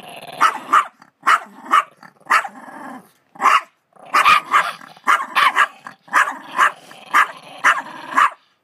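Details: Female dog in a laundry basket defending her dog treat against her sister: a rapid run of harsh growling barks and snarls, roughly one a second, with brief pauses.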